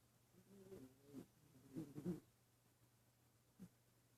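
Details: Female dog Asta, snoring while she dreams at the office, lets out a quick series of low, wavering, whiny puffs over the first two seconds, then a single faint snuffle after a pause, indoors and otherwise quiet.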